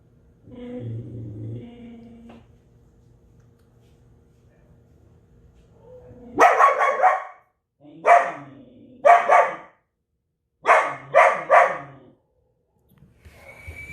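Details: Belgian Malinois giving extreme barking: a few seconds of low rumbling noise first, then loud harsh barks in quick clusters of two or three, separated by brief silences.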